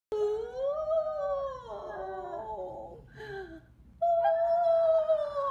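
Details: Pet Schnauzer named Pixie howling at home, as she usually does when service vehicles with blaring sirens pass the house; a long wavering tonal howl rises, then slides down and fades, and after a short pause a second steadier howl resumes strongly.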